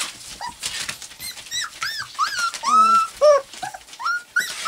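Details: Four-week-old white English cream golden retriever puppies whimpering indoors: high, bending squeaks and yelps, some rising then falling, several overlapping in quick, irregular succession.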